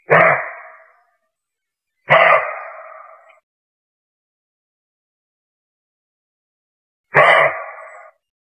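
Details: Roe deer (Capreolus capreolus), bark.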